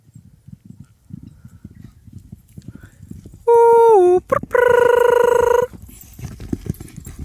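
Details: Six-month-old foal Rosaline, a horse being weaned from her mother at a breeding farm, calls after the mare is taken away: a loud tonal whinny with a falling tail, then a steady sustained call, over soft hoofbeats and rustling.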